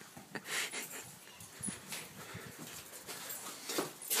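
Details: Hamish, a pet dog, barks in excitement at a ball placed on a small hill of sand: a few short, sharp barks at uneven intervals, with soft panting and breathy sounds between them.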